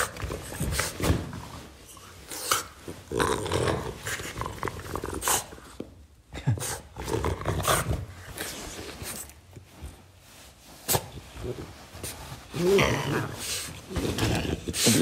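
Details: French Bulldog growling while taking a ball from its owner indoors; rough low growls in bursts mixed with scuffling, thumps and handling noise throughout, short pauses between growls.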